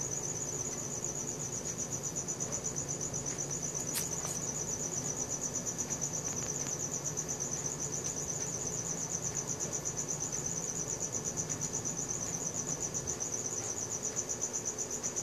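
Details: A nocturnal cricket trill, recorded on a Samsung Galaxy S4, holds steady at a high pitch with fast regular pulses, accompanied by a brief click and a soft low hum.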